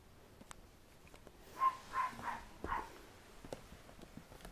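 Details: A young red Poodle, male, newly able to walk unsteadily, lets out four quick, high squeaky yips in a row over about a second, with light footfall taps around them.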